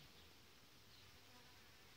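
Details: Honey bees in a queenless, broodless hive at an apiary, readied for varroa fumigation treatment in late July; an even, low, continuous droning hum of many bees holding steady throughout without breaks.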